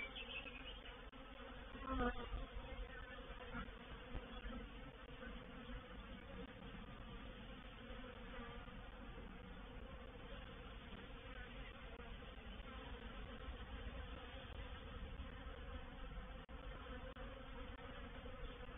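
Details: Reproductive swarm of honey bees moving into a bait hive at Painted Peacock Manor, 04/07/21: a low, dense, steady droning hum of many bees, with a brief louder surge near two seconds.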